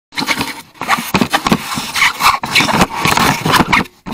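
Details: A wild boar investigating a camera trap gives short, rough grunts and noisy snuffling snorts at close range.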